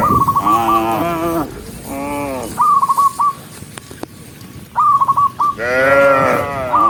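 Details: Dozens of cows walking along a forest road; several shorter lowing moos at start, middle and end, separated by clusters of quick high whistled notes and a few sharp clicks.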